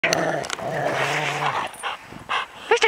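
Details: Rottweiler growling low and steady for about a second, with harsher voiced bursts around it and a person's clicking and calling sounds near the end.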